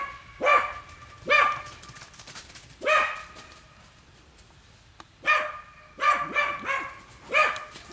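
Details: Hunting dogs working wild boar in a boar training pen, giving loud arched barks in irregular bursts, single and in quick doubles, with quiet pauses between.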